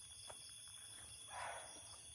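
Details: A barking deer in Lawachara forest, Srimangal, Bangladesh, gives a single hoarse, abrupt bark over a steady chorus of high-pitched insects.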